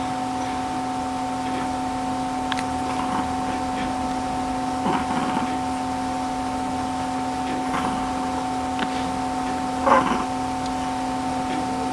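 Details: Steady electrical hum fills an indoor room, with a few soft knocks and brief faint voices scattered through it and no animal calls.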